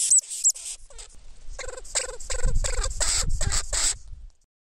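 A lemming gives a quick run of harsh, nasal squeaks, about two or three each second.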